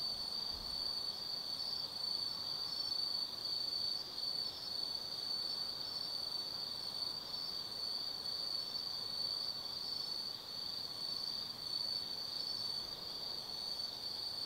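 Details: Night chorus of autumn insects in the Tsukimi no Mori forest above the Nobi Plain, Gifu Prefecture, Japan: an unbroken, ringing high-pitched trill sustained for the whole stretch, with soft background hiss and a brief low thump at the start.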